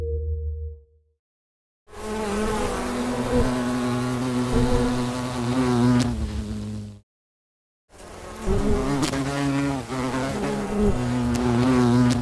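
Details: Honey bees at a beehive give a steady, droning hum from many wings at once, rich and low.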